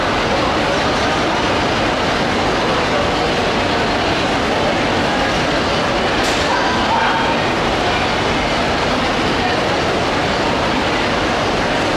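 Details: Loud continuous broadband roar like a train or crowd hall, with a brief sharp click near the middle and no clear animal voice.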